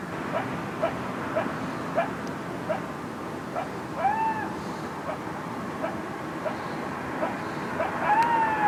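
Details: Coyotes at night, close and loud, barking far more than usual: a rapid series of short sharp yips and barks, with drawn-out wavering, slightly rising cries breaking through near the middle and end.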